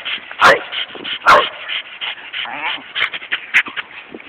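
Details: Two dogs, Doppler and Willy, play-wrestling at Golden Gardens in Seattle, phone recording: two loud short barks early on, followed by a spread of softer yips mixed with people talking nearby.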